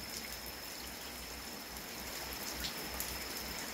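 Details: Steady hiss like rain or trickling water fills the recording, with scattered drop-like ticks and a faint high tone; no animal voice is heard.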